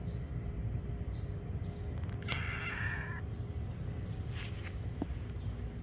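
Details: Silver tabby-and-white kitten letting out one clear drawn-out meow, then a fainter brief cry, against constant low background rumble.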